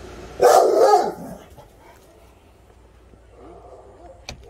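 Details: Presa Canario puppy, called a good boy, gives one deep, loud, rough bark lasting under a second, then falls quiet. Faint household sounds and a man's voice follow.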